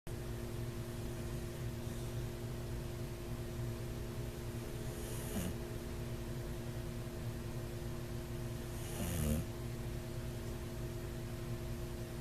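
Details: Sleeping bulldog snoring, which may signal sleep apnea; two low rasping snorts near the fifth and ninth seconds rise over a steady electrical hum in a small indoor room.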